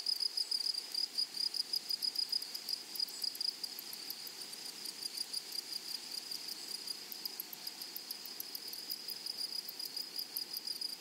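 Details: Flowery meadow grasshopper chorus: a high buzzing band with rapid rhythmic pulsing, loud strokes repeating a few times each second at the start and end, a quieter even drone in the middle.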